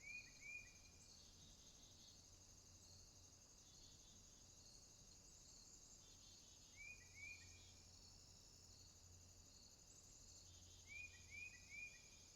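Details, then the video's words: Swamp at night with crickets: continuous high trilling throughout, broken by short bursts of two or three quick upslurred bird chirps at three points, plus a faint low hum. "Crickets, swamp sounds at night"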